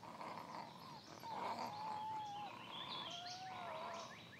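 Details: Wolf pup among seven badgering their father Lighthawk: a long, drawn-out, level whine, then a second lower whine, with faint high chirps and rustling behind.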